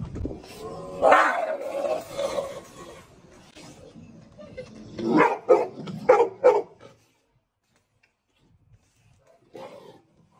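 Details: Female Cane Corso showing aggression, wanting to attack: rough, harsh bursts of barking, a loud outburst near the start, then a tight cluster of three or four growly barks, low rumbling between them, and one last short bark after a quiet pause.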